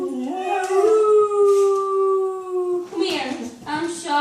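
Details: Indoor pet dog howling at animal noises: one long, steady, harmonic-rich howl held for about two seconds, then shorter rising and wavering notes.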